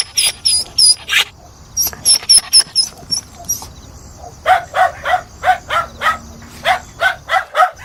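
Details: Dog barking in a steady run of short, mid-pitched barks about three per second in the second half, preceded by high chirping calls and a busy outdoor background.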